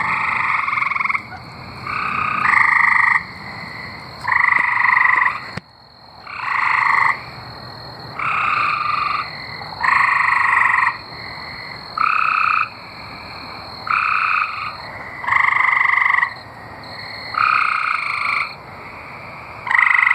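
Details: Chorus of singing tree frogs in Arkansas: steady buzzy trills, each about a second long, come roughly every one to two seconds as neighbouring frogs answer one another, about fourteen bursts in all.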